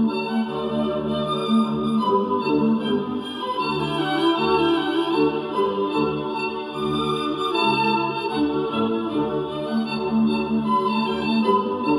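Steady organ-like music with sustained chords plays throughout, and no bird calls come through.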